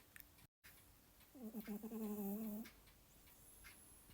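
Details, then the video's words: Domestic male cat asleep, giving a single low, buzzy snore of over a second, wavering in pitch. A clock ticks faintly throughout. "Кот храпит"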